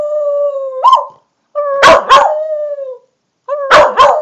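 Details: A female corgi howls on command, giving steady mid-pitched howls, each broken by sharp yelping barks.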